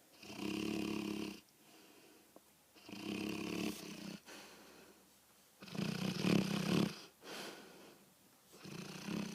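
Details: A dog named Dezi snores through the night, heard every night indoors; deep, rasping snores come in long bursts roughly every three seconds, with quiet breathing gaps between them.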